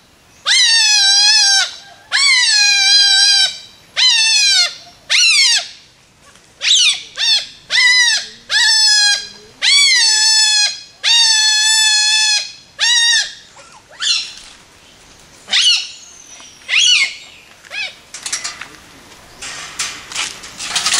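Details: Hungry otters at a wildlife rescue centre in Thailand, impatient for their meal, give loud, shrill, nasal squeals of about a second in quick succession, ending in shorter, broken calls with faint chirps.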